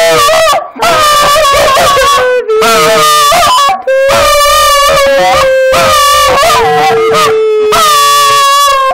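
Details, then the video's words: A pet Schipperke dog sings on cue, rewarded with a treat afterwards: loud, tonal, wavering howls with rich harmonics, held notes sliding up and down, broken by short pauses into about five phrases; a woman's voice encourages it. "Toby The Schipperke Singing"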